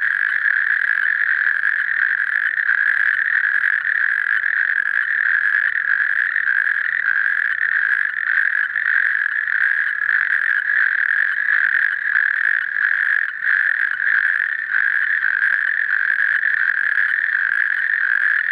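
A natterjack toad gives a loud, continuous rolling trill, a steady rattling churr.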